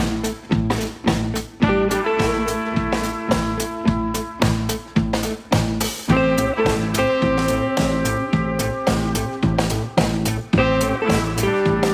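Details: Upbeat band music with guitar, bass and a regular drum beat fills the whole stretch, and no animal is heard.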